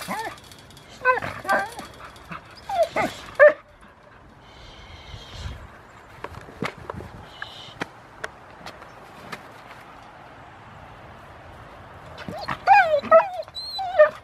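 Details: Rottweiler named Foofy, starting protection training at Victoria Rottweiler Club on August 2, 2020; a burst of excited, high yelping barks opens, a quieter stretch with scattered thuds and clicks follows, then another rapid volley of yelps closes.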